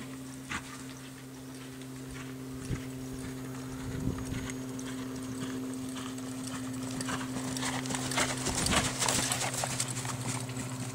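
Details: Hoof strikes of a 2007 reining gelding sired by Boomernic, dam by Freckles Playboy, coming roughly twice a second and more clustered later, beneath a constant low droning hum.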